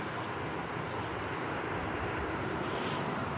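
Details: Dense broadband engine roar, like passing traffic or an aircraft, fills the brief recording; no animal voice is heard.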